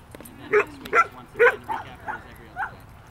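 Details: Four-month-old border collie and five-month-old Aussie-golden mix playing together in a park; a series of six short, high yippy barks roughly every half second, fading slightly toward the end.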